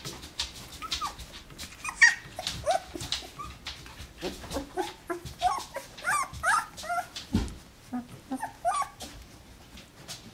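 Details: Alaskan Malamute pups, twelve days old, settling after a feed, give many brief, high, chirpy squeaks and small whimpers in an irregular stream, mixed with rustling and bumping.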